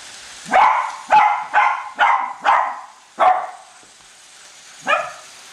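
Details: Chasing a new toy train circling the Christmas tree, pet Cavalier King Charles Spaniels Colby and Shelby let out six rapid ringing barks, roughly two per second, then a pause and one final bark.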